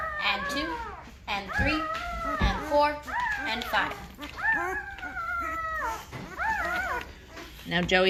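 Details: Great Bernese puppy litter at five days old, Great Pyrenees mother and Bernese Mountain Dog sire, with thin mewing squeals that rise and dip, repeated in separate bursts with brief gaps and soft thumps between.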